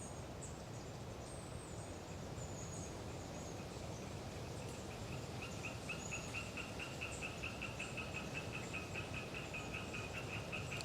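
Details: Hyla orientalis tree frogs chattering in Galeriç Swamp Forest, Kızılırmak Delta, Samsun, on a windy autumn day: a rapid run of short nasal pulses builds in the second half, with thin high tit notes overhead and steady wind roar.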